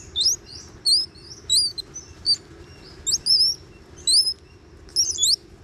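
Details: Young Bolivian squirrel monkeys, one to two years old, wrestling and playing at a theme park on Ishigaki Island, Japan; high, sharp chirps in short clustered bursts, about seven bursts over six seconds, with a low steady hum beneath.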